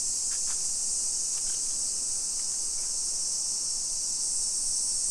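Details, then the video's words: Cicadas in summer, Nisshin city, Aichi Prefecture, Japan, 28 July 2021 at 1 PM: a dense, constant high buzzing drone, with a few faint soft taps early on. "Summer Cicadas Sounds"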